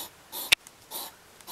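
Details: Two hedgehogs squabbling in a home garden on a July 2009 evening: short breathy huffs, each lasting about a quarter second, with one sharp click between them and a quiet background.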